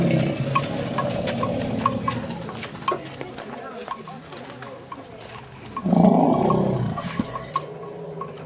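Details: Asian elephants reassuring a distressed companion after a nearby bull's roaring: deep, drawn-out low rumbles throughout, swelling into a louder, rougher harmonic burst around the sixth second before fading back to a steady low drone.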